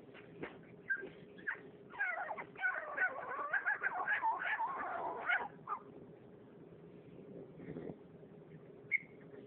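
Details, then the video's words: A female French Bulldog whimpers in high, wavering whines and makes odd noises, asking for attention and play. "Whimpering french bulldog making odd noises"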